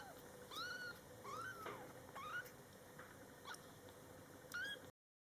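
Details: Two-week-old kitten exploring the world after opening its eyes, mother present, calling with short squeaky mews that rise then drop, about five in five seconds, with faint room noise behind.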